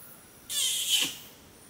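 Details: An adult male Bornean orangutan at Tuanan Research Station, Central Kalimantan, Indonesia, gives a sharp hissing kiss squeak that drops into a brief low sweep, warning observers who came too close.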